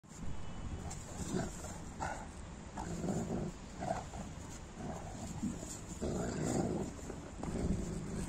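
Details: Giant Newfoundland dogs, including four-year-old Bella, play-fight in the snow, giving deep, gruff barks and rumbling growls in irregular bursts.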